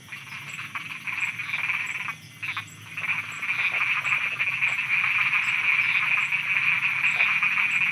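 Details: Frogs croaking at night in Thailand, a dense chorus of rapid raspy pulses massed around a mid-high pitch, swelling louder after a brief dip, with faint insect ticking above.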